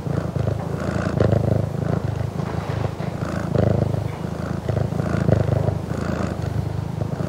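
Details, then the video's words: Close-up purring of a Burmese cat recorded indoors at a home: deep, throbbing rumble that surges and eases rhythmically with breathing, unbroken throughout. "CU Purring From A Burmese Cat"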